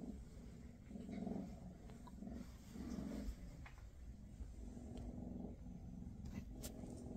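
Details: Maine Coon mother spending a final day with her litter before the kittens depart; a low, buzzing rumble rising and falling in short pulses, mixed with faint scratchy background noise.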